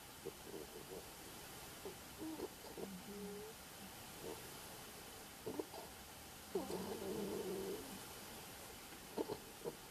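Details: Snoring in her sleep, pet anteater Aurora produces soft, short squeaky notes and clicks, then a longer wavering nasal whine near the middle, over low steady background noise.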